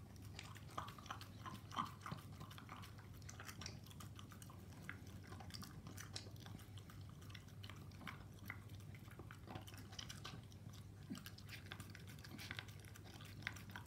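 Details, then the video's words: Koro, a Staffordshire Bull Terrier, working through a meal of raw meat and dog food, with constant moist chewing, scattered crisp bites and soft lapping ticks over a low, even background drone. "スタッフォードシャーブルテリアのご飯(staffordshire bull terrier)"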